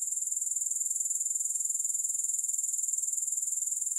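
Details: Grasshopper sound with no music: an unbroken, very high, rapidly pulsing trill with an even rhythm throughout.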